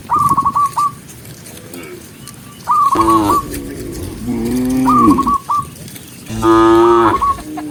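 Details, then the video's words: Dozens of cows moving along a forest road: three long, deep moos with rich harmonics, one low and rumbling, alternating with brief runs of short high repeated notes and quieter stretches. "Dozens of cute cows walking neatly along the forest road with the sound of cows mooing"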